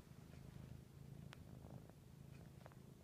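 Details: Siamese cat lying under a blanket indoors, purring in a steady low rumble with a regular pulsing rhythm throughout, a few faint clicks and rustles, with a person's soft speech around it.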